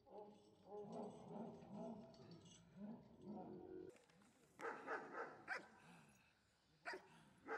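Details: During IPO defence work training, the Giant Schnauzer Gyn-Yuu gives harsh, deep barks in the second half, a quick cluster then a single bark, after a stretch of low grumbling sounds mixed with a person talking.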